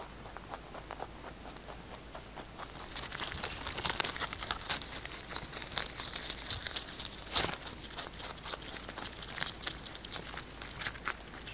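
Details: Pet rabbit Kkotdori eating fresh basil, close-miked for ASMR: crisp, crackling crunches and tearing bites, sparse for the first three seconds, then rapid and continuous, with one sharp, louder crunch near seven seconds; nothing else audible.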